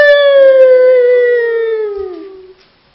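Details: Alex, a dog, gives one long tonal howl that slides slowly downward for about two and a half seconds, then fades out; the voice is clear and rich in overtones, with no other sounds around it.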